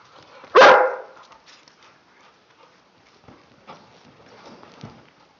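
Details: Tibetan Mastiff (Do Khyi) among several dogs at playtime: one sharp, loud bark early on, then quiet shuffling and faint scattered noises.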